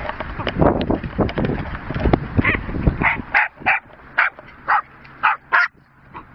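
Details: Jack Russell Terriers, sisters Rosie and Poppy, playing with a horse's boredom breaker toy; after rattling and bumping from the toy, sharp barks come about every half second, each a short bright burst, ending in a quieter pause.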